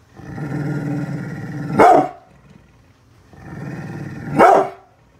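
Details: Bullet, a brindle pit bull, protecting home from construction crew working outside; a sustained guttural growl swells into one loud bark, repeated twice.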